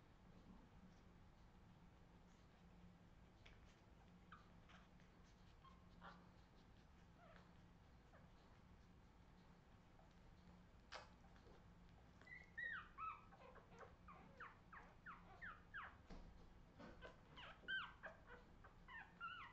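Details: Australian Terrier puppies of the Redwing litter, 2018, indoors: quiet at first, then from midway a busy run of short, high squeaks and whiny chirps, often rising and falling, with soft rustling and bumping throughout.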